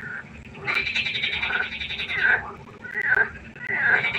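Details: Frogs at a pond during the night, several calling together in harsh, quacking, harmonic croaks; one long rasping stretch of nearly two seconds, then shorter bursts follow after a brief lull.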